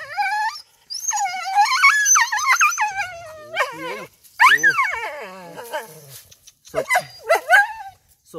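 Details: Injured dog with a hurt rear whimpering in pain: long, high wavering whines that rise and fall, broken by short pauses, then sharper falling yelps near the end, with people speaking softly around it.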